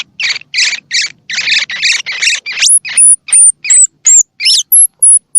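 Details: Calls of a baby squirrel, played to encourage young squirrels with open or unopened eyes to eat: fast harsh chittering bursts give way to thin, very high whistled squeaks and quick upswept notes.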